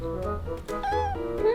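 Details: Male kitten on his first day in a new home, about three hours after arriving, loosening his guard and meowing repeatedly at his owner; short tonal meows rising and falling over steady background music.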